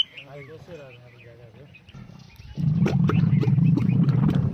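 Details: Camel in the Thar Desert during mating season, first faint gargled calls, then from the midpoint a loud, low, rapid bubbling rumble of steady pulses; quieter bird-like chirps at the start.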